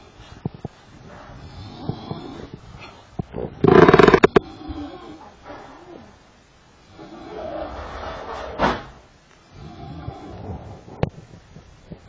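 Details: Sleeping lion snoring at Karatsu, Japan: low, rough, rasping breaths swell and fade at irregular intervals of several seconds, interrupted by one sharp, loud crackling burst early on, over a faint background hiss.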